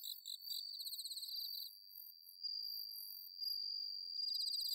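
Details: Bell crickets singing on an autumn night, recorded at rice paddies of Inba marsh, Chiba, Japan: a sustained high ringing trill runs through most of the clip, overlaid with rapid pulsed chirps of other crickets.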